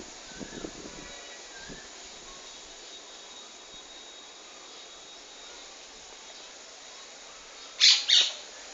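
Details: Praying mantis making sounds when threatened: after a long stretch of steady background hiss, two short, loud, harsh rasping bursts come close together near the end, with faint soft clicks early on.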